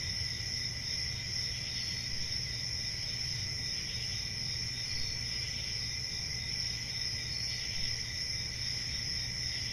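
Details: Crickets keep up a dense, even, high-pitched chirring with a steady second band below it. A low murmur of background noise runs throughout.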